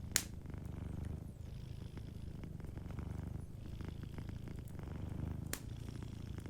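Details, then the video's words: Gentle purr of a cat asleep near a fireplace, a steady low vibration rising and falling with its breathing, punctuated by a few loud snaps of burning wood. "Warm Fireplace Ambience with a Sleeping Cat 🐱💤Fireplace & Soft Purring"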